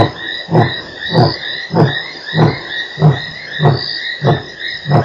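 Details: Lion at Nkorho on 3 March 2008: a regular series of short, deep, breathy grunts about every 0.6 seconds, each a low thud, while insects keep up a continuous high, shrill drone behind.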